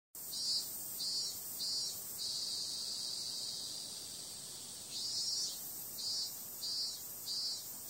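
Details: Cicadas calling on a summer night: a dense, steady high-pitched buzzing drone with louder pulsing bursts about twice a second, in two runs at the start and end, over faint low background hiss.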